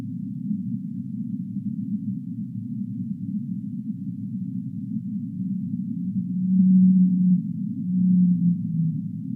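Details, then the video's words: Whale in the deep sea: several seconds of low rumbling noise, then two loud, low tonal moans, the second falling in pitch as it fades. "Whale Sounds of the Deep Sea"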